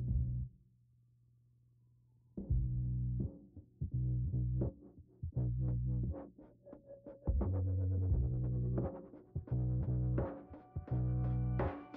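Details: Electronic music with synthesizer, plucked guitar and drum-machine beats starts after a quiet opening, with no animal heard.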